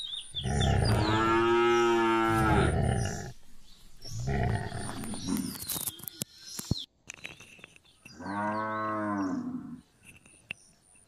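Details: Gir cows milking in India, three drawn-out moos of two to three seconds each, deep and strongly harmonic, separated by brief pauses with a sharp click between them.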